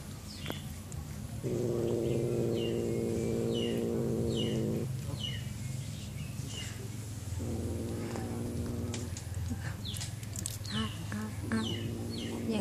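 A Siamese cat gives long, low, rumbling growl-yowls to threaten another cat, with birds chirping behind.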